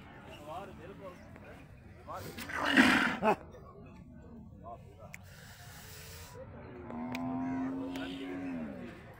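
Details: One-ton Holstein Friesian bull displayed at a cattle market; a sustained harmonic moo near the end follows a burst of loud voices and bustling market noise.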